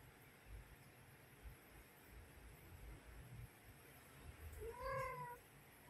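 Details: Mother cat calling her kittens to come and feed: a single clear drawn-out meow near the end, rising then falling, over low steady background rumble.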